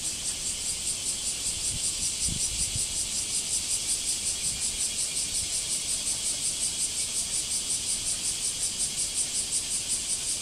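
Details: Cicadas singing in a backyard after several days of rain: a dense, high, shrill buzzing drone, pulsing rapidly and evenly without pause, with a faint low thump once.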